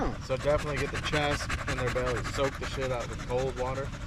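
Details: Staffordshire Bull Terrier among other male dogs during a long evening at the park, giving a string of short whining, yodel-like calls with arched, rising-then-falling tones, about two a second, with faint panting beneath.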